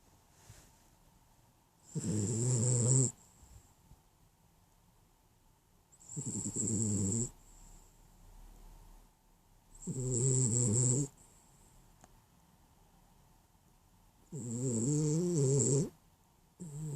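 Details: Dog snoring while asleep and dreaming, four long, low buzzy snores, each about a second long, coming roughly every four seconds, with hissing breath on top and near silence between them.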